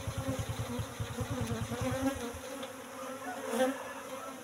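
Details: Apis cerana honey bees in a hive box at harvest time, colony relocated from forest roughly three months before: a pulsing low buzz for about two seconds, then fading to a softer, higher hum over faint background noise.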